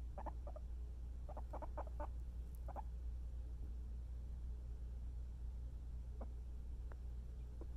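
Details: Guinea pig being cuddled, giving short soft clucking chirps in quick clusters during the first three seconds, then a few isolated faint peeps over a steady low hum.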